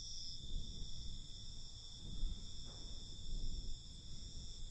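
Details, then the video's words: Night crickets keep up a continuous shrill ringing chorus, several high bands humming evenly, while a louder low rumble of ambient noise swells and fades beneath. "Night Cricket Sound"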